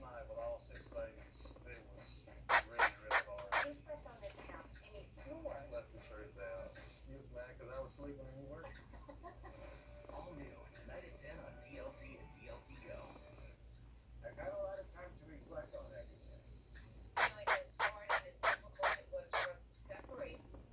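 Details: Baby twin squirrel Nano, upset because his brother Pico is being mean to him, recorded 10/6/18: bursts of rapid sharp clicking chirps near 2.5 and 17 seconds, with soft fussing squeaks and low murmurs between them.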